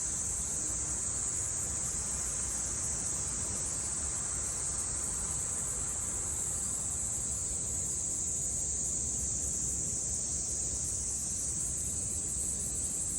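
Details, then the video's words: Japanese summer cicadas, 2022, make a constant sizzling whine that never pauses, even and unchanging over the whole stretch, with faint low-pitched noise underneath. "Sounds of the cicada [ Japan in summer ] セミの声"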